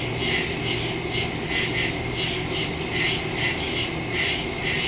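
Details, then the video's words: Crickets in a nighttime forest, September 2, 2023, Samsung Galaxy S22 Ultra with Shure MV88+ mic; bright high chirps pulse about twice a second in overlapping waves above a thin steady drone. "Crickets in the woods at night"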